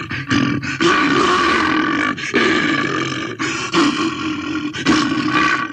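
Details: A bear gives harsh, sustained roars, deep and gravelly, broken by short gaps roughly every one to two seconds, loud throughout.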